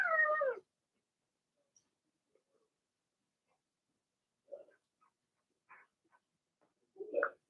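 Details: Blenheim Cavalier King Charles Spaniel puppies from a litter of six, two girls and four boys born March 7–8, in an indoor home puppy pen during potty training; one long, loud, descending harmonic whine, then scattered faint soft squeaks.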